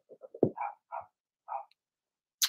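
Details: Young Blenheim Cavalier King Charles Spaniels, part of a six-puppy litter, barking in their indoor puppy pen. Several small yaps run into a louder bark, then two more short barks, ending with a sharp noise.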